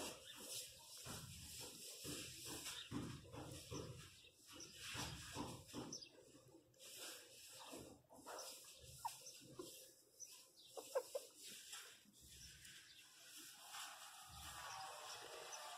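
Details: A 27-day-old female miniature pinscher puppy cries in distress with repeated shrill, squealing yelps after falling from the top of her doghouse and hitting her head.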